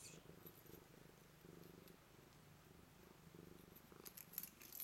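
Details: Blue-eyed white Manx cat purring as a greeting indoors: a steady, low rumbling purr in rhythmic pulses, with a few faint high clicks near the end.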